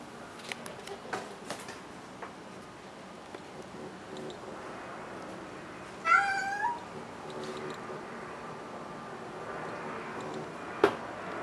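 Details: Conan the cat gives one funny meow after a quiet stretch: a short, wavering, harmonic-rich cry lasting under a second, followed by room hush, a few soft clicks and faint background noise.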